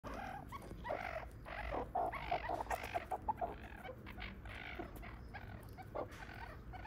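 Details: A zoo meerkat family in a small mammal house, with mother, father, aunt and their young pups, gives a busy chorus of short, squeaky chirps and clucks that overlap from several animals.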